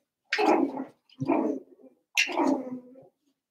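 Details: Cavalier King Charles Spaniel puppies, seven weeks old, kept in a pen indoors at home, give three drawn-out, harmonic whining cries, each about half a second long and falling away at the end, spaced roughly a second apart.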